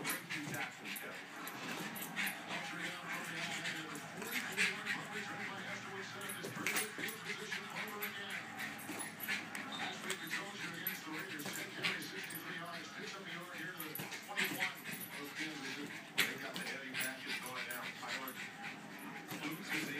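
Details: Betsy the Jack Russell goes after a balloon she loves to pop, whining in wavering tones with occasional yips and barks, mixed with squeaks and people speaking nearby.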